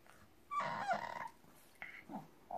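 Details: French Bulldog puppy 'talking' back to its owners with cries and peculiar little noises: a rough, grumbling, partly voiced sound lasting about two-thirds of a second, followed by softer short murmurs against a quiet indoor background.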